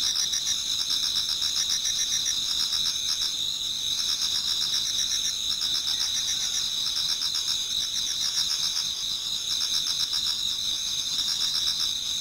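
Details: Many autumn insects singing in a Japanese garden towards dawn: steady overlapping high trills and pulsed chirping, bright continuous bands with rapid pulses and bursts of lower chirps, no other sounds.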